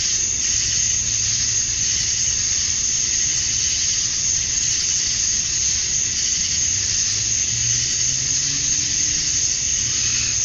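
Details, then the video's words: Male cicadas calling to attract females at summer dusk in Georgia, USA: constant shrill buzzing drone, slightly swelling and fading, over a faint low rumble. "Cicadas at Dusk, Summer Night"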